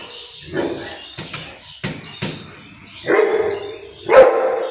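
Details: Rottweiler. Heavy, low barks from a Rottweiler come in uneven bursts, some short and clipped, others broader and louder. The last two barks are the strongest, rough and booming with a harsh edge.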